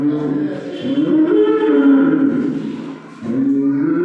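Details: A calf lowing the day before Eid al-Adha, a drawn-out wavering moo, then a pause and a second rising moo; a person briefly speaks just before.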